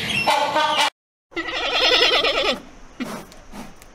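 Giant panda giving two goat-like bleats: a short steady one, then a longer quavering, wavering bleat, followed by fainter soft calls.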